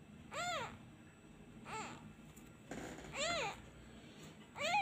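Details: Kitten abandoned and missing its mother cries as a hand is withdrawn: four loud, arched, rising-then-falling mews spaced about one to one and a half seconds apart, with a faint rustle in between.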